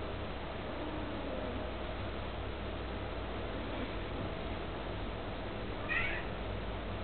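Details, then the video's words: Two British cats playing indoors as if discussing something; a single short, rising-then-falling meow sounds near the end over a steady low hum. "Are these cats talking, or what?!"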